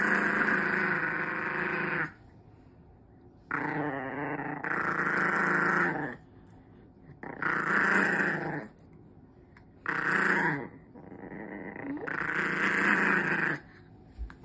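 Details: Smooth coat Chihuahua born November 2021, lonely and sad on a day apart from its favourite person: drawn-out moaning whines about two seconds long, separated by short silent gaps, repeated several times.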